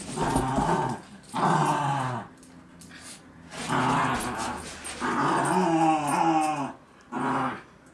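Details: Basenji named Ella tugging a toy against a mixed-breed companion and a girl; loud throaty growls in four bursts of about one second each, some with rising and falling whine-like tones, separated by short pauses.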